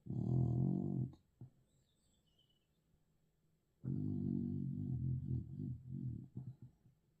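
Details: Dog snoring: two deep, rasping snore breaths, the first about a second long, then a pause before a longer rumbling snore of nearly three seconds that breaks into pulsing fragments at its end.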